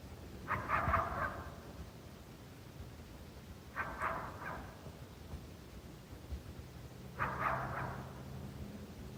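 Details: Coyote near St-Andrews on 1 March 2019, heard but unseen during a coyote hunt, giving a challenge bark because it is unhappy at a person's presence. Three short bursts of sharp, harsh barking arrive about three seconds apart over a low background rumble.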